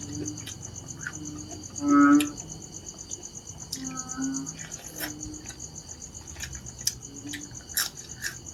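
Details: One loud, low, nasal croak from a narrow-mouthed frog, followed by fainter distant calls, against steady shrill insect chirring.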